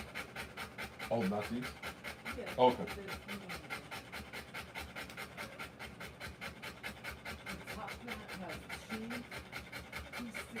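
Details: Fast, regular panting of a Rottweiler during a live birth of puppies, a continuous train of short breaths with a couple of quiet human murmurs early on.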